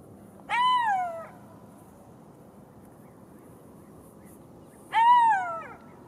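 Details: Golden jackal calling twice, each a loud, sliding wailing howl that rises then falls in pitch, spaced about four seconds apart over a steady low background hiss.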